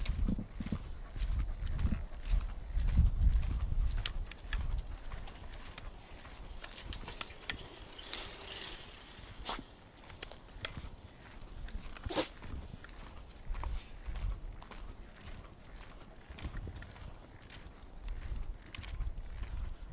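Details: Cicadas in the trees of a Japanese park on an early summer morning, during a walk with Mameta the Shiba Inu: a steady, unbroken high-pitched hiss runs throughout, beneath louder crunching footsteps on the path and rustling grass.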